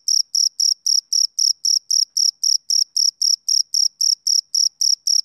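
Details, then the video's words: Rhythmic summer-evening chirping of a male cricket, bright high-pitched trills repeated roughly four times a second in an unbroken, metronome-like series, clean and isolated. "Cricket Chirping Sound Effect"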